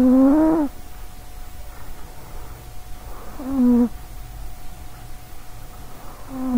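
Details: A sleeping female cat nicknamed Sausagecat for her short legs, snoring loudly into a nearby microphone: a strong rasping drone, a second quieter snore about three seconds later, then another beginning, over a faint hum.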